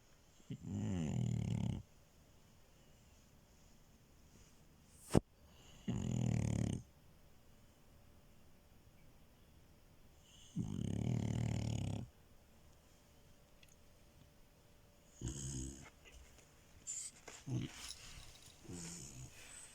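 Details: Snoring female French Bulldog asleep on a bed. Three long, coarse, low rumbles come about five seconds apart, with a brief click near the start. Softer, broken snuffling snores follow toward the end.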